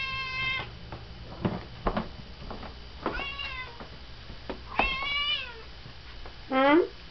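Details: Pet cat Pia demanding her dinner indoors in the evening, in rare form: a series of loud, piercing harmonic meows, several falling in pitch, the last a short rising-then-falling cry, with knocks and faint speech between.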